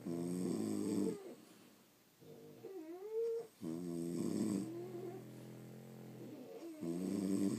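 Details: Sleeping French Bulldogs, pets indoors at home, snoring in rough, rumbling bursts with harmonic buzz, a squeaky whistling rise mid-breath, then heavier snorts resuming; several breaths within under eight seconds.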